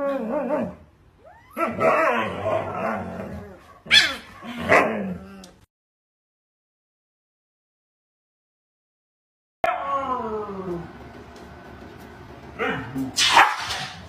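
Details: Siberian Husky carrying on dramatically with yelps, wavering whines and complaining howls in uneven bursts, a quiet gap midway, then a long falling, wobbling whine that ends in a sharp, harsh outburst.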